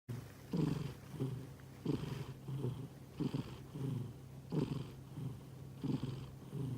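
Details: A sleeping domestic cat breathing softly in a small room, with low rhythmic snoring breaths repeated about every one to two seconds, each a brief rasping exhale over a steady low hum.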